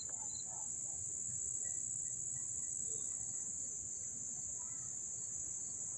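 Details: Up-close crickets in Dobbs Ferry, New York, 1 August 2014, producing a constant high-pitched ringing trill, with a few faint short chirps and low rumble underneath.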